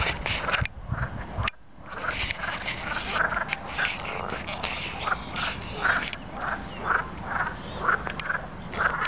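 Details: Natterjack toads singing at Plaiaundi Ecological Park: short rattling croaks repeat roughly once a second, steady and evenly spaced, over a rough background of broadband noise and low rumble.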